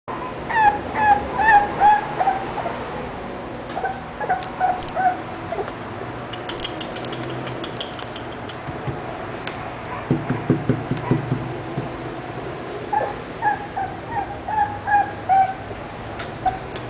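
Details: English Bulldog making high, whining whimpers with bright harmonics in quick bursts of four or five, a short pause, then more whimpering later; faint clatter and background noise.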